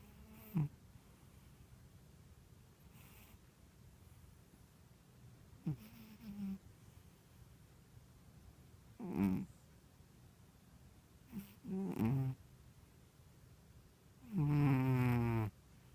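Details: A female Ragdoll cat snoring while deeply relaxed. Rough breaths come every few seconds, some short and noisy. The last is a longer, voiced rumble.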